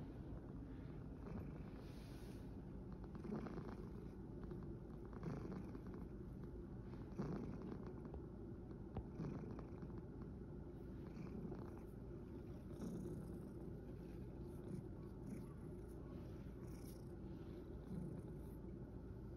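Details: After tiring himself out playing in a field, a rescued male cat purrs, a continuous deep rumbling hum that rises and falls softly over the whole stretch, with faint hiss and light rustling behind it.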